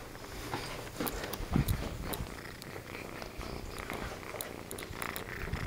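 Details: Jimmy, a pet cat, purring steadily while playing indoors, a low continuous rumbling with soft rhythmic pulses, with a few light clicks and rustles in a small room.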